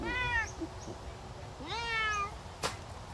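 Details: Savannah cat during a summer walk giving two drawn-out, rich harmonic meows, the second rising then sliding down, followed by a sharp click.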